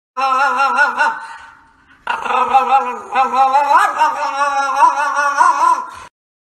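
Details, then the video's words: French Bulldog giving a long, wavering whining vocalization with strong harmonics, a brief pause after the first second, then a sustained, undulating, talkative moan until a person scolds. "Funny French Bulldog Compilation"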